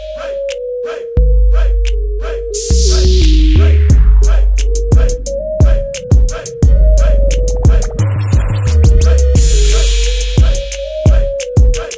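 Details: Loud hip hop music with heavy bass, rapping and scratching effects plays throughout, with no animal sounds.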